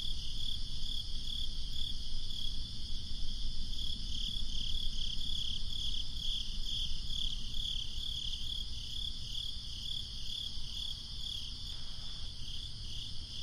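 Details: Crickets on a breezy summer night, a steady high pulsing chirp repeating about three times a second over low rumbling background noise.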